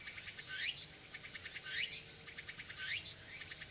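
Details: Tsukutsuku-boshi cicada singing on an early autumn afternoon, 6 September 2022, at Furuta Magarigawa, Nishinoomote, Tanegashima, Japan; high buzzy pulsed phrases that sweep upward, repeated roughly every 1.1 seconds, with steady insect hiss behind.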